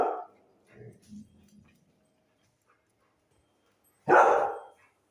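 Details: Pet dog at home, roused by goat herders nearby tapping on a tree; a bark at the start, a few soft low grunting sounds, a quiet gap, then one loud sharp bark near the end.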